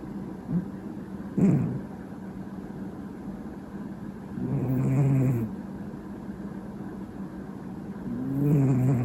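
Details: Mochizo, a pet cat, gives booming old-man-like snores: a brief snort, then two drawn-out, low, grating breaths roughly three and a half seconds apart against a constant background hum.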